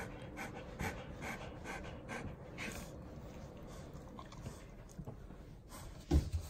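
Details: Seven-year-old female Golden Retriever named Hatch, being washed with dog soap, pants in quick airy bursts that soften toward the end, followed by a sharp bump or knock near the close.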